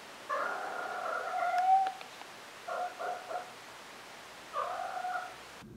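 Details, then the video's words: Maine Coon cat, female, in a kitten-to-adult compilation, gives a lower, long wavering meow, then a choppy broken call of three short bursts and a final drawn-out moan. "Maine Coon Molly Meowing (Kitten to Adult Compilation)"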